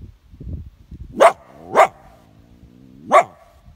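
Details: Coyote held in a leghold trap in Vermont: three abrupt, harsh barks, the first two close together and the third after a gap of over a second, preceded by low scuffling rumbles.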